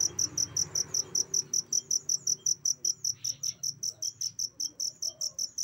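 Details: Short stretch of a cricket used as a training sound for songbirds, giving crisp, ringing high chirps in a regular, quick rhythm over a quiet low background murmur.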